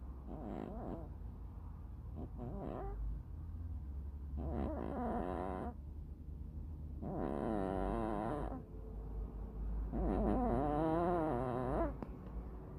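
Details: Hachiware bicolor cat asleep and snoring. Raspy, quivering breaths repeat roughly every three seconds over a steady low hum.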